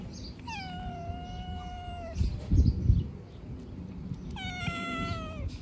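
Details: Homeless young cats being fed on the street; two clear, long meows that fall gently in pitch, separated by a burst of low thumping and handling noise, with faint outdoor background throughout.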